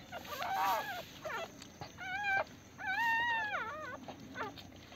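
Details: Pomeranian puppies on their first day after a home delivery give short, wavering whines, some bent and sliding, in bursts separated by short pauses.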